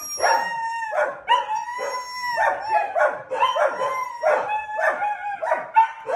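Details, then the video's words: A house-kept Siberian Husky howls during a chaotic morning; clear tonal woo-woo calls repeat roughly every second, each steady in pitch with a bright overtone, voiced continuously without pause. "Husky howling total caos in the house"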